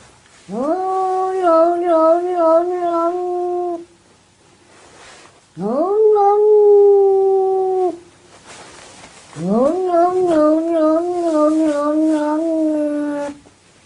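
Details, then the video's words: Domestic cat making funny sounds: three long, drawn-out yowls, each sweeping up sharply then holding a steady, slightly wavering tone for two to three seconds, separated by brief pauses, with faint background noise. "Cats making funny sounds"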